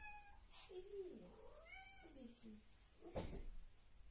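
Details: Domestic cat giving drawn-out, wavering meows that rise and fall in pitch over about two seconds, followed by a sharp thump; faint background chatter.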